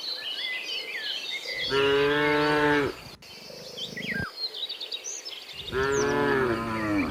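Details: Tame cattle herded toward their pen: two long, loud moos with rich stacked harmonics, the first near two seconds in and the second near six, while bird chirps and twitters run through the background.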